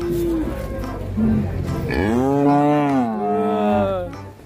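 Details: Cow from an Indonesian cattle-farming compilation lets out a long, full-throated moo that swells upward and then sinks over about a second, rich and layered in tone, with light background music and faint Indonesian talk before and after.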